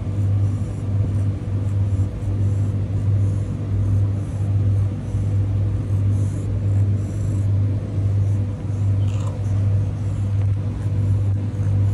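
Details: A loud idling engine rumbles low and steadily, pulsing in regular beats, with faint street noise and no clear animal sound.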